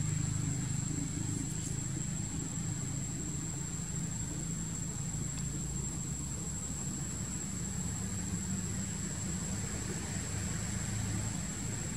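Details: A steady low engine-like rumble runs throughout with a constant high whine, and no animal sound.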